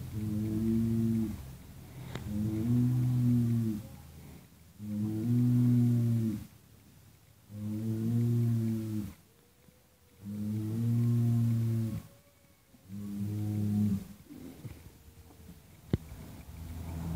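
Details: Cattle kept in stalls in Indonesia, mentioned alongside Madura, Java and Sumatra. Six long, low, droning moos, each about a second and a half, follow one another at steady two-second gaps. A faint tone rises briefly near the end.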